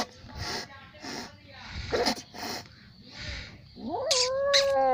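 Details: Angry little cat; breathy hisses and scuffling bursts come first, then a loud, rising, strained yowl that holds steady and harsh to the end.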